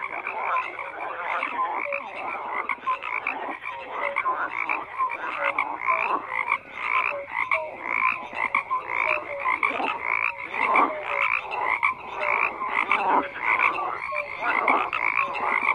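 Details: A dense chorus of many frogs croaking together, overlapping pulsed calls and short tonal notes repeating without pause; loud, steady and continuous, no other sounds.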